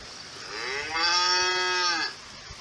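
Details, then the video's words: A lone cow gives one moo, rising into a strong, level, harmonic tone held about a second before fading, over a faint hiss. "Cow Sound Effect 🔊 , Lowing, Mooing, Moo"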